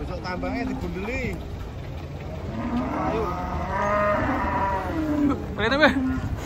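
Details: Giant cattle coming down from a truck in the morning; a few short rising-and-falling moos early on, then a long, drawn-out low moo, with people talking and engine noise in the background.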